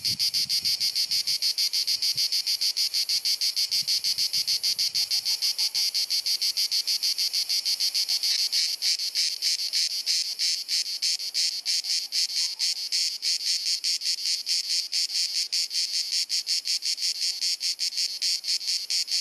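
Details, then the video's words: Cicadas singing in Dalmatia, Croatia, on a hot summer afternoon, recorded with a compact camera: a continuous high, hissing buzz that breaks into fast, rattling clicking pulses partway through, with faint low rumbles early on. "Cicada Singing ☀️ Pjesma Cvrčka ☀️ Chant des Cigales ☀️ Zikaden Geräusche ☀️ アブラゼミ☀️Cigarra Cantando"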